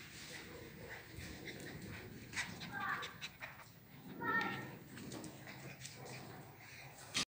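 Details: Grey wolf-coloured agouti Husky scuffling with her puppy indoors. Short whining, growly vocal bursts come near three seconds and again around four and a half seconds, over steady room noise with human voices in the background.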